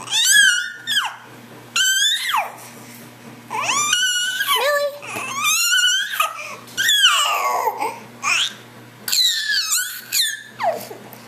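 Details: Dog giving dolphin-like squeaks, recorded 1-2-2011 at 3:43 pm: a steady series of shrill, warbling whines, each falling in pitch and lasting about a second, with brief pauses between them.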